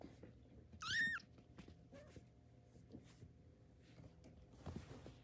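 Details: Tabby kitten taking its first steps gives a single short, high mew with a rising then falling tone, clear above a quiet room hum; soft low thumps and rustles follow.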